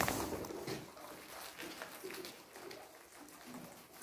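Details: Guinea pigs munching kohlrabi make a run of quick, soft crunching clicks with a few faint low squeaks.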